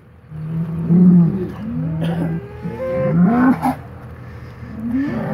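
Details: Polled Hereford bulls of the Secret Weapon bloodline, wild-free pasture stock mixed back together after breeding season, fighting while getting re-acquainted; low droning grunts and short bellows, one rising moan near the end, over a steady engine hum.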